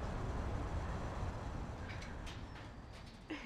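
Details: Steady low rumbling noise like a passing vehicle or train, with a few faint brief clicks near the end and no animal voice.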